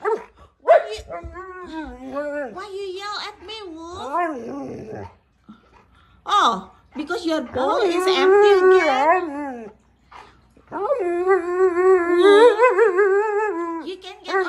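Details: Female Siberian Husky complaining about an empty food bowl: long stretches of wavering, moaning talk-like vocalization with rising and falling pitch, broken by brief pauses, with a woman speaking and music faint in places.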